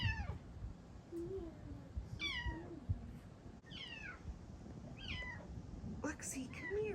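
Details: Bengal cat meowing indoors in the early morning, as she does when waking her owners around 4am: several loud, falling, wailing meows in quick succession, with a woman speaking softly and calling the cat between them.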